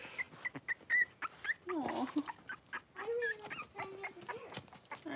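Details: Blenheim Cavalier King Charles Spaniel puppies in a home puppy pen with their mother Paris, a litter of five born at New Year: short high squeaky whimpers, then lower drawn-out moaning whines and grunts between soft clicks.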